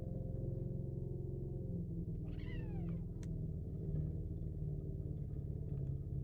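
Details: Kitten being over-protective of its food makes a steady low grumbling growl throughout, broken by one short rising-and-falling cry around the middle.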